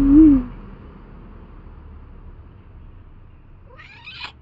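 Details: A tuxedo cat gives a short, soft meow at the start. A brief second call follows near the end, with quiet background hum in between.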